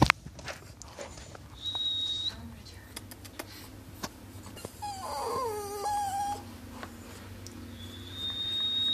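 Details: A dog that dislikes high-pitched noises gives a wavering, howl-like whine that rises and then falls, holding a level pitch toward the end. A steady high electronic tone sounds before and after it, with scattered clicks and tapping indoors.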